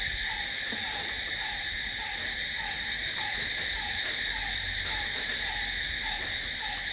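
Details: Crickets at night keep up an unbroken high, ringing trill, while a faint descending chirp repeats at a quick, slightly uneven pace underneath.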